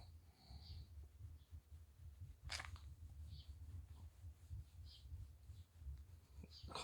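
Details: Shiba Inu named Chichi, a friendly dog kept in Kanehama, Aomori City, Japan, sneezes after neck petting during shedding season releases endless loose fur: one sharp, explosive sneeze burst amid people chatting quietly nearby.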